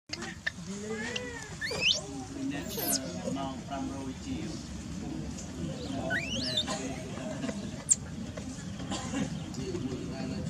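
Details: Baby macaque Dalton lies on the ground crying while mother Dolly ignores him: repeated thin, high squealing cries that sweep up and down in pitch, over steady background noise.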